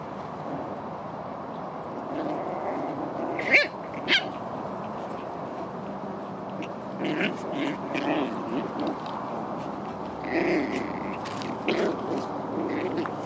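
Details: Nine-week-old Biewer and Golddust Yorkshire Terrier puppies Max, Lilly, Molly, Demi, Tia and Rocky at play: sharp yips near the start, then scattered soft whimpers and squeaky cries over a steady room hum.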